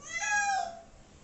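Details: A pet cat mid-bath, one of two being shampooed indoors, lets out a single short, sharp meow that rises briefly then falls away.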